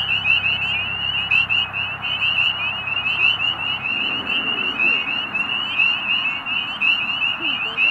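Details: Chorus of spring peepers making mating calls on an almost-spring evening at Middle Creek Wildlife Management Area, Pennsylvania. Shrill, upslurred peeps from many frogs blend into an unbroken ringing wall of sound, with a faint low drone early on.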